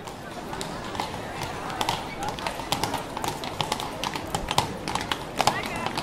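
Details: Several horses walk along a city street, their hooves clopping on hard concrete in an uneven, overlapping rhythm, with faint voices behind.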